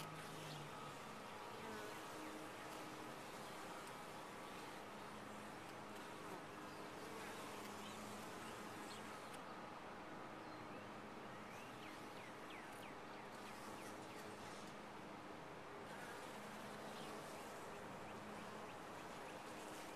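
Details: Honey bees in a top-bar hive: a dense, steady colony hum with banded low tones, layered with many overlapping individual buzzes and faint rising whines of bees flying close by.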